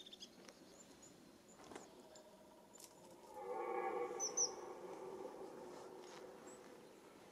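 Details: Red deer roaring during the rut, the mating season: a single rough, harmonic roar lasting about a second and a half rises out of a quiet background, with faint bird chirps before and after.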